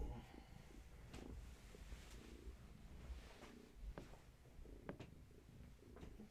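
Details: Purring from one of Gaia's kittens, a litter from a long-haired tabby mother, recorded indoors one evening during leg massages; soft rumbling purr rising and falling in steady breath cycles, with faint rustling and handling noises.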